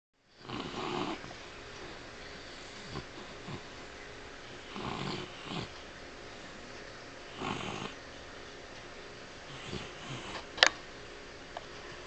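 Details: A sleeping dog with rapid eye movement, apparently dreaming. It snores in soft, breathy, rasping bursts spaced a few seconds apart, with one sharp click near the end and a steady background hiss.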